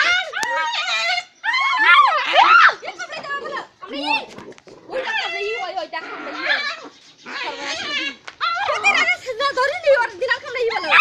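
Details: Fighting puppies let out a dense run of shrill whimpers and squealing yelps, pitch jumping and wavering, broken by brief gaps.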